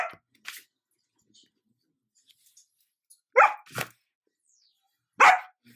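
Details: Buffy, a female Sheepadoodle puppy (Old English Sheepdog crossed with Standard Poodle), indoors, barking because she wants attention while closing a laptop; a few short sharp barks, two near the start and a loud pair plus one more later, quiet between.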